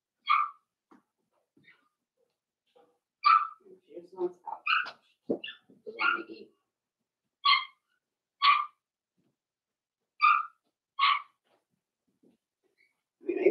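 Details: Cavalier King Charles Spaniel puppies, four weeks old, in a pen indoors, giving repeated sharp high yelps about once a second at times, with quieter low voices and small rustling sounds in between.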